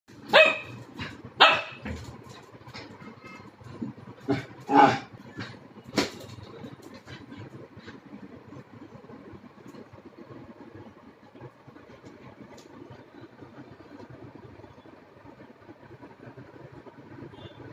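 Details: Four-month-old Labrador Retriever puppy barking while playing with a red balloon: about six sharp, short barks in the first six seconds, some in quick pairs, followed by a steady low background hum with no further barking.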